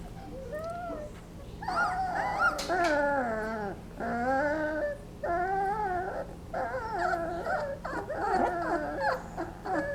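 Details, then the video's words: 20-day-old Basset Hound puppies napping whimper and whine in high, wavering squeals that rise and fall in short bursts. "Basset Hound Puppies making funny noises"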